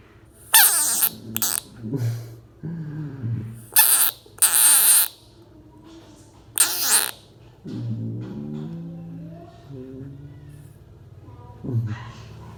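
A bullfrog gives harsh, wailing screams in short bursts, some long and drawn out, with pauses between.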